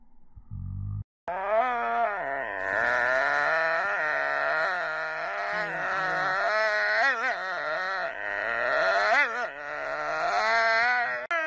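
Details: Pet dog howling in one long, drawn-out, wavering tone lasting about ten seconds, sliding up and down in pitch with a few small breaks, after a short burst of noise at the start.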